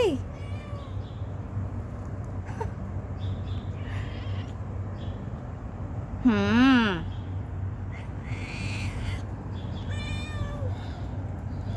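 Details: Stray cat begging for food gives one loud wavering meow midway, with a few fainter calls and brief human speech around it against a low outdoor hum.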